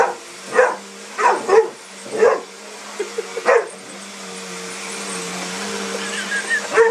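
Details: A Mastiff reacting fearfully to a sweeper fires off a quick cluster of five barks, then falls quiet while the appliance's steady hum continues, with faint higher sounds near the end.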